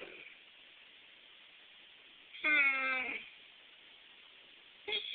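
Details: Weimaraner dog moaning indoors: one drawn-out, harmonic, slightly wavering moan lasting under a second, followed near the end by the brief start of another vocalization; otherwise quiet.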